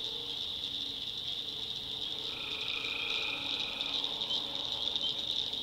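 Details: Tree frogs calling at night in a swamp in the backwoods of North Carolina: a dense, steady high-pitched chorus throughout, with a lower drawn-out call entering halfway and fainter low tones underneath.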